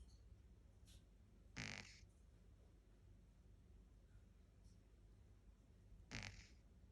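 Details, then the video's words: Sleeping Shih Tzu puppy, ten weeks old, gives brief rasping snore bursts, one near the start and another over four seconds later, with a faint click in between in a quiet room. "Shih Tzu Snores"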